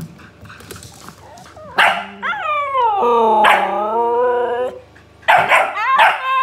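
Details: Siberian Husky talking back to a barking dog: long, wavering, harmonic howl-like vocalizations with sliding pitch from about two to five seconds, framed by sharp barks at the start and near the end.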